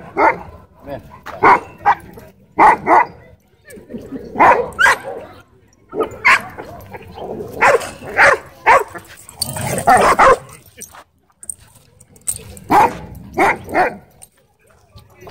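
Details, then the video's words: At a dog park, a wolfdog threatens a man with repeated sharp barks, often in pairs or triplets, steadily throughout, mixed with human voices. "Wolf Dog Threatens Man At Dog Park"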